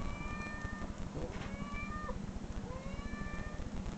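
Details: Domestic cat meows played back from online recordings to a dog, which growled and searched for the cat; three drawn-out, tonal meows, two of them sliding down at the end, over a steady low rumbling hum.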